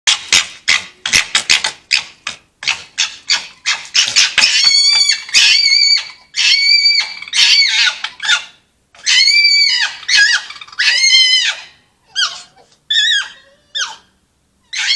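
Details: Foxes at Polegate screaming their heads off in a chitchat: rapid staccato chattering bursts open the sequence, then loud, harsh, high wailing screams rich in harmonics, each about a second long, arching in pitch and repeated with short pauses.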